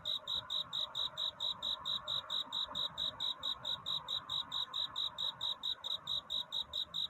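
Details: Cricket singing at night to court a mate, before dawn: steady high chirps at about four per second, evenly spaced and unbroken, with a faint low background hum.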